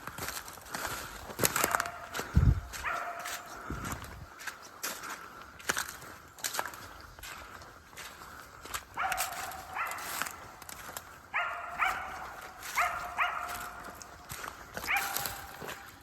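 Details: Dog hunting outdoors with a squirrel treed. From about nine seconds on it gives repeated barks, each a short harmonic burst roughly a second apart. Footsteps and a thump come earlier, over a steady background hum.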